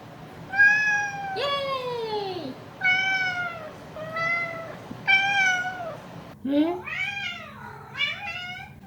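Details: Domestic cat heard in a weekly collection of its cries, producing five separate descending meows followed by a rapid, rising-and-falling burst of chattering mews, with soft speech faintly audible.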